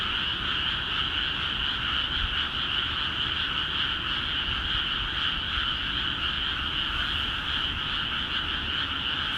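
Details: Frogs calling in large numbers in rice paddies of Akiha Ward after water was let into the fields; a dense, unbroken chorus of overlapping rapid croaks forms a steady, ringing wall of sound, with no other noises standing out.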